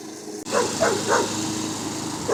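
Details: A young dog named Jasper barks at a mower, picking a fight with the moving machine: four or five quick, clipped barks spaced about a third of a second apart against a constant engine hum.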